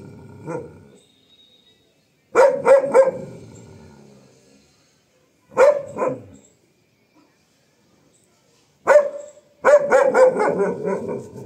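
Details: Female German Shepherd guarding her home in strong wind after a bath, barking at wind-blown plants; clusters of two to five sharp, loud barks with silent gaps, a faint rumble at the start and possible voices.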